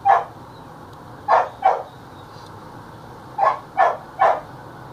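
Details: Belgian Malinois in attack practice barking in bursts: a single bark, then a pair, then a rapid run of three, separated by short pauses over a low background hum.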